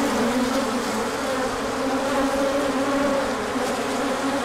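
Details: Many honeybees in a large orientation flight when the sun came out after a colder spell; a thick, unbroken droning buzz with gently wavering pitch bands, no gaps or other sounds.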